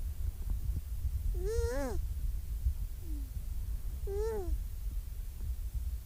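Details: Young seal approaching the camera lets out two drawn-out, bleating wails about two and a half seconds apart, each swelling and then sliding down, with a faint short whimper between them and constant low background rumble.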